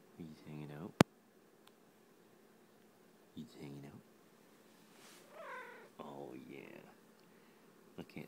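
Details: A pet cat snuggling and giving short murmured calls and a longer rising meow, while a person keeps talking to it in a soft voice. A sharp click sounds near the start.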